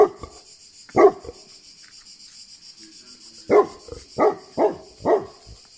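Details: Deep barking from a Tibetan Mastiff, Greece: a close pair of barks, a short pause, then four heavy barks in a quick, even row.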